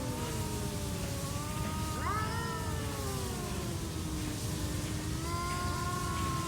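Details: Two stray cats trash talking in a standoff: drawn-out, wavering yowls that rise and fall, with one cry sharply bending upward midway and a higher wail near the end, over a steady low rumble.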